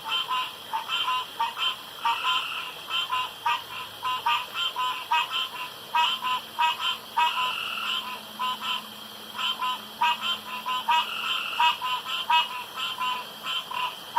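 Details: Dense frog chorus around a pond at night: many short, nasal, buzzy croaks crowding together in uneven bursts, with a faint low drone partway through.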